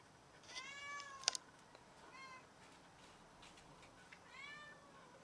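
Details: Domestic cat that has caught a rat and brought it to show off, meowing three times: drawn-out harmonic meows near 0.5 s, 2.2 s and 4.3 s, with a sharp click and faint rustling between.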